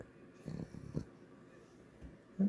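A Boston Terrier snores softly, with low, rumbling breaths in uneven bursts.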